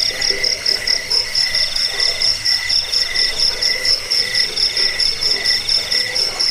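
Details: Crickets (jangkik) in a recording offered to repel rats, lull listeners to sleep and tutor songbirds: dense, high, shrill pulsed trilling with a fainter lower buzzing band, pulses pumping in a quick steady rhythm, no other sounds.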